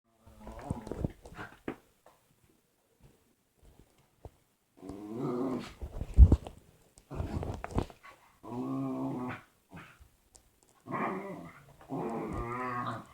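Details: Dog making weird noises indoors before a hug: deep, throaty grumbling and growl-like vocal bursts with rough harmonic tones, coming in irregular spells of one to two seconds separated by short silences, one sharp thump midway.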